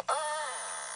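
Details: A beluga whale in a quiet, pristine Eastern High Arctic Baffin Bay summer nursery area gives a harsh, very broadband buzzing contact call, used for group cohesion and keeping mother and calf in acoustic contact.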